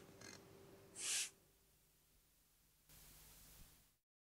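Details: A Tasmanian devil in the Tasmanian bush gives one short, harsh, rasping scream, with fainter hissing noise around it.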